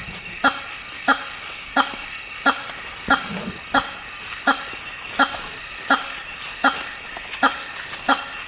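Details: A male hammer-headed fruit bat (Hypsignathus monstrosus), Africa's largest bat, gives loud, nasal honks about every second in African rainforest, calls made to impress females at leks, amplified by its huge larynx.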